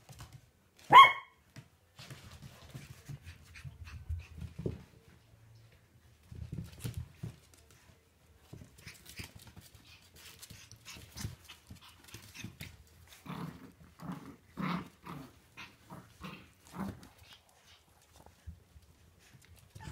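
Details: Four 8-week-old Shih Tzu puppies from a litter of seven playing together indoors; one sharp high yip early, then soft scuffling, low grumbles and small scattered yaps through the rest.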